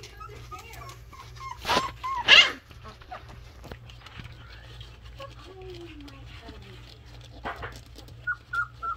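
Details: Alaskan Malamute puppies at play, Velma hiding: thin, high whimpers in short wavering bursts early and again near the end, a lower sliding whine midway, and two sharp knocks or thumps around the two-second mark.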